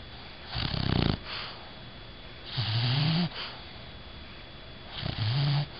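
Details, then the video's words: Sleeping Bulldog named Bella snoring: low rumbling snore breaths with a droning, slightly rising tone, coming irregularly about every two seconds in a quiet room. "Do Bulldogs Really Snore?"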